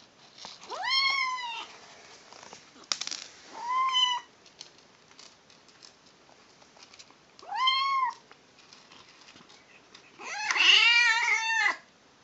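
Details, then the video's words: Female kitten making funny noises while eating: four short harmonic meow-like calls, arched and slightly rising, spaced a few seconds apart, the last one longer and louder with a wavering, strained quality; quiet room otherwise. "Kitten Makes Funny Noises While Eating"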